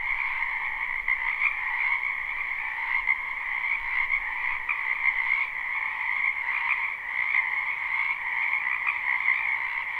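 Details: Frogs massed in a spring wetland behind a house, recorded live with no looping: a dense high-pitched trilling chorus that pulses gently in loudness every second or so, otherwise unbroken and free of other sounds.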